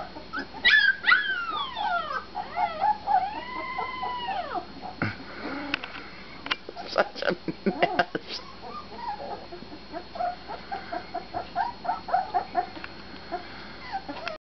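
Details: Husky puppies let out long, arching, wavering howl-like whines at the start. Bursts of scratchy clatter follow, then a rapid patter of short whimpers and yips that fades toward the end.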